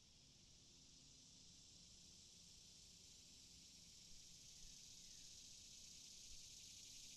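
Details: Cicadas calling: a steady, high, hissing buzz holds without break throughout, swelling slightly toward the end, with faint low rumble beneath.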